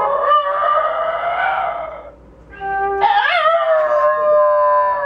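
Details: A 6½-year-old Basenji dog yodels in two wavering, tuneful bursts that slide up and then fall away, howling along as her owner plays or pretends to play a flute.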